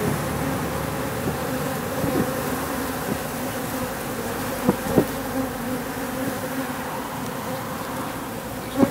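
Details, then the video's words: Wild bees, a mix of workers and drones about one to one, swarming in mid-October at an industrial wall; steady low droning hum throughout with a few brief louder buzzes as single bees pass close. "Spring October swarming of the wild bees"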